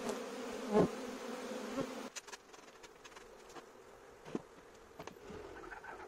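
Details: Bees swarming in an invaded courtyard, loud droning buzz for the first two seconds that then drops away, leaving quieter background with occasional clicks.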